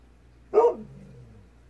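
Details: A single short bark from Kohaku, a Golden Retriever, answering a faint distant fox at dusk; the bark is sharp and mid-pitched with a quick fading tail, over a steady low hum.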